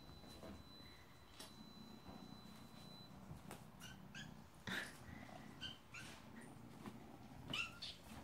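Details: Hungry foster kittens calling indoors: a run of short, high, slightly wavering mews in the second half, about four calls close together, with soft bumps and rustling in the background.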